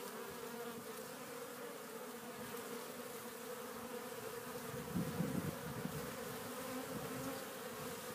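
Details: Many honey bees bringing pollen into a Warré hive on April 12th, in spring; continuous low humming drone, with a brief louder buzz midway as a bee passes near.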